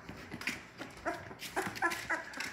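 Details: Several young Labrador Retriever puppies, one litter of six, indoors just after waking in the morning. Short, high, thin whimpers and yips come in quick uneven bursts, with rustling in the background.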